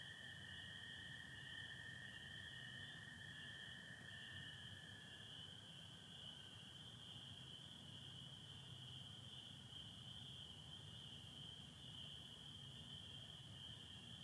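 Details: Spring peepers in full chorus on a Michigan spring night, 24 April 2025, a steady high ringing throughout; a lower American toad trill sounds strongly for the first six seconds, then fades away.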